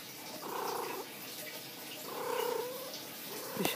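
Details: Domestic cat lying down indoors gives two drawn-out, even-pitched tonal meows about a second and a half apart, with a soft tap at the end.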